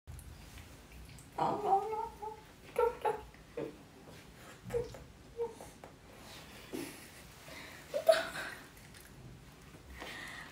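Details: Holly, a pet dog, crying indoors: short high whimpers and whines in brief bursts every second or two, with quiet pauses between, alongside a woman speaking Vietnamese.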